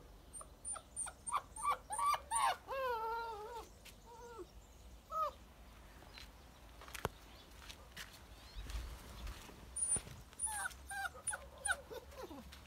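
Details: Active black puppy giving bursts of high, harmonic whining yelps that rise and fall. A quick run comes in the first two and a half seconds, a few more near five seconds, then another cluster from ten to twelve seconds.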